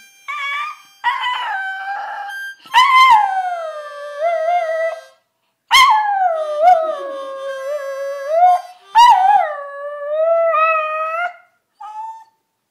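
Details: Pet dog howling along to a harmonica: long, wavering, high-pitched howls that slide up and then sag downward, in about five drawn-out bouts separated by brief pauses, with faint sustained harmonica notes underneath.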